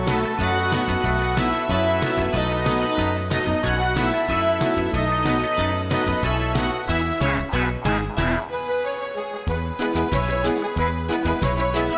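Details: Bouncy, jingly children's-style music fills the whole stretch, with a brief dip near the eighth second and no animal sound heard.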